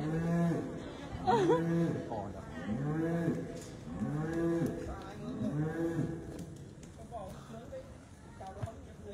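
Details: Dairy cattle at a clean dairy farm in Mộc Châu, Sơn La, Vietnam, giving four low, drawn-out moos with arched harmonics about every second and a half, a faint later call, and people talking nearby.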